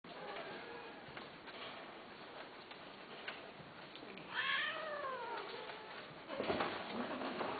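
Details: A domestic cat gives one clear, drawn-out meow that rises and then falls, with strong harmonics, about midway through. A shorter, rougher cry follows near the end over a steady, muffled indoor background.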